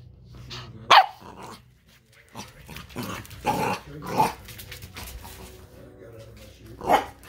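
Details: Eleven-week-old Pembroke Welsh Corgi puppy named Pearl Girl playing under furniture: sharp barks at about one, three, four and seven seconds with low growling between, the loudest bark first, in a quiet indoor room.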